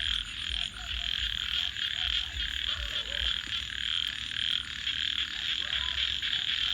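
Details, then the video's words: Night-time frog chorus: a continuous shrill, pulsing band of calls with occasional short lower croaks, set over the low rumble and crackle of a campfire. "Virtual Campfire with Crackling Fire 🔥 and frogs 🐸 Sounds continue"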